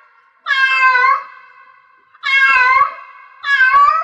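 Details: Cat in heat giving three drawn-out, nasal meows, each bending slightly downward and lasting over half a second, the last one shorter, with quiet gaps between.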